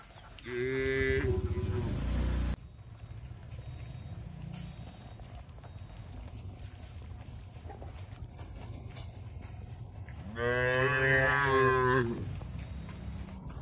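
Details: Two loud, harmonic moos about eight seconds apart, each near two seconds long, from tame cattle being led to a wide field in a peaceful village, with low rumbling background between them.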